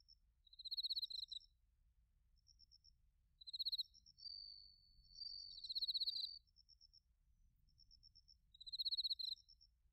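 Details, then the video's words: Bell crickets and other crickets in autumn, recorded in Narita, Chiba, Japan, with a TASCAM Portacapture X8: high pulsed chirp bursts recurring every few seconds, a smooth ringing tone near the middle, and a faint sparse ticking between bursts. "秋の音 スズムシとコオロギの鳴き声"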